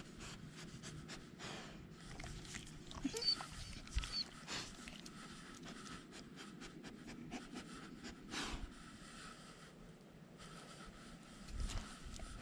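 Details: German Shepherd service dog named Nala, left home alone and wearing a GoPro camera; quick breathy panting in short broadband bursts throughout, with scraping and rustling of movement close to the camera.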